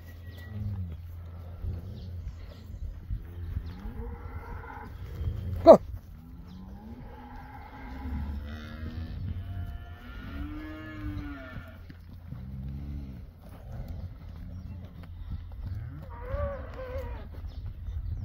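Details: First-calf Beefmaster cows with calves, a herd of 24 cows and 24 calves, calling in a series of overlapping moos, some low and drawn out, others short and higher, with one sharp knock midway.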